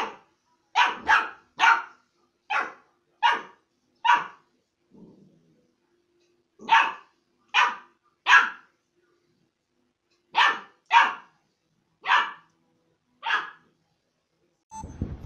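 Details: Puppy from a barking compilation lets out bursts of short bright barks, three or four at a time with brief gaps between groups, indoors with little else heard.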